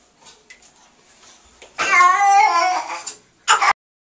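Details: Churchill the cat cries while being bathed to wash tar and oil out of his fur: one loud, wavering wail of over a second, eerily like a crying human baby, then a short sharp burst after near silence.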